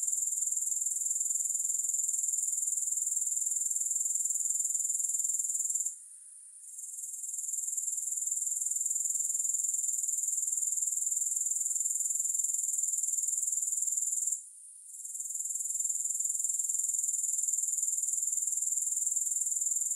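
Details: A steady, high, finely pulsed grasshopper chorus is broken by two short gaps of near quiet, one near six seconds and one near fourteen and a half seconds, resuming quickly each time. No music.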